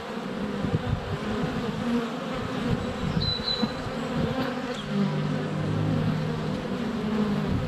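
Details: Honey bees in flight at a hive entrance on a sunny February day, filmed with a GoPro Hero 7 Black under a foot away: steady low droning hum with passing buzzy swells, faint short birdsong whistles above.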